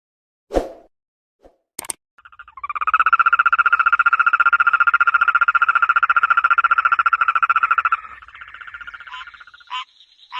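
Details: Frog calling at night: after a few clicks, a steady, fast pulsed trill of even pitch runs unbroken for about five seconds, then breaks into faltering, higher notes.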